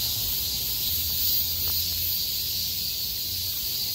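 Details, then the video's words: Cicadas in chorus on 6 August 2020, singing loudly after heavy rain stopped and the sky cleared: a continuous, dense, high-pitched hiss-like drone with a faint low rumble beneath. "매미들의 합창"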